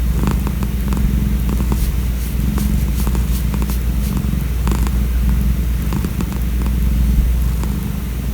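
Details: A calico community cat, fed and cared for outdoors for about five years, purrs loudly and steadily in a deep, continuous rumble. Scattered faint clicks and rustles sound in the background.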